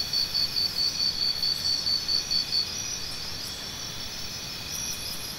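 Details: Cricket chirps sound as a quick run of evenly spaced high pulses for under three seconds, then stop. A continuous high insect drone carries on, with a few faint clicks.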